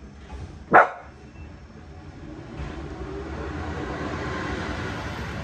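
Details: On garbage day, one of the dogs Prince and Tyson gives a single sharp bark near the start, followed by the steadily rising rumble of an approaching vehicle.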